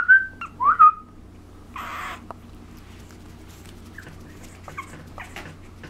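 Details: Two-month-old female puppy named Kiara, filmed indoors: two short high whines, the first level and the second dipping then rising, open the clip, followed by a burst of rustling noise and faint scattered sounds.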